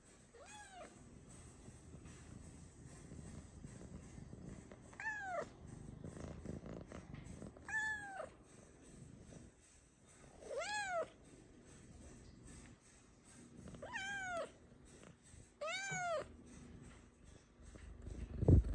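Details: Luna, a pet cat known for chatting and expressing her feelings, produces six arching meows at irregular intervals, each rising then falling in pitch, over a low rumbling background, ending in a sudden loud thump.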